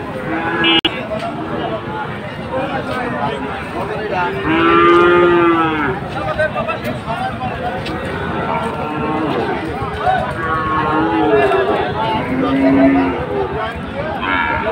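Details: Sahiwal breed bulls on sale at Ambari market on Monday 24 July, bought by Chattogram traders. A loud, sustained moo rises and falls, then shorter lows follow later, all over steady crowd murmur.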